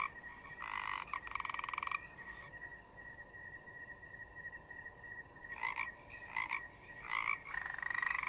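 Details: Forest frogs give two rattling pulsed croak bouts, fall quiet, then resume with short croaks and a closing longer rasp, over a continuous high thin drone like crickets chirping.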